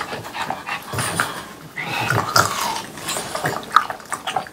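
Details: French Bulldogs Pang, Kun and Ppo eat watermelon at the end of a hot summer day. Wet chewing and smacking come in irregular bursts, with crisp crunches and soft breathy snorts between bites.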